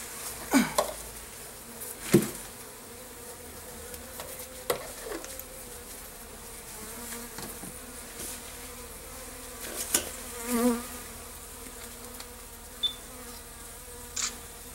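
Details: Honey bees sheltered in a garage in December, agitated after a camera fell on their hives, produce a continuous droning hum broken by sharp taps and clinks.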